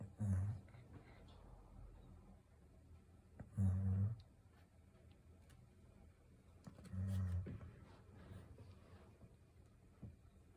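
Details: A Golden Retriever asleep indoors, snoring in low, rumbling breaths that come about every three and a half seconds, three clear snores over quiet room tone.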